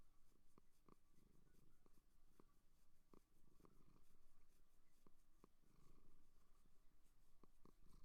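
A seal purrs in a low, pulsing rumble, with soft clicks scattered through it.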